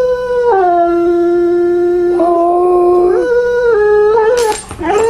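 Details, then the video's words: Husky dog, described as wanting its mother, gives a loud sustained howl. It starts higher, drops to a long steady low note, then steps up and wavers, with a short noisy break near the end. "samoan husky dog wants mom."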